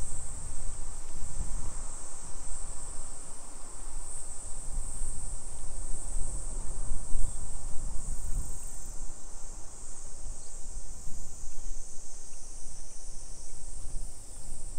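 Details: Summer cicadas along residential streets of Nisshin, Aichi, Japan, 2 PM, 28 July 2021: a constant high buzzing wall of sound persisting throughout, mixed with low-frequency traffic and footstep rumble.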